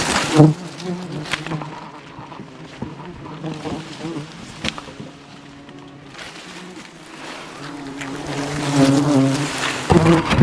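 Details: Jungle honey harvest as an aggressive wild bee swarm surrounds the climbing hunter: a steady low hum that thins in the middle and grows loud again toward the end, with scattered clicks and bumps.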